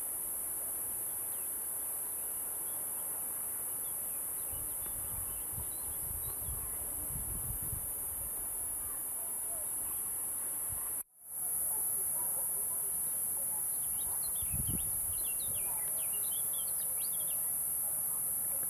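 A cicada's steady, very high-pitched buzz runs on without a break, with low rumbling and a few chirps.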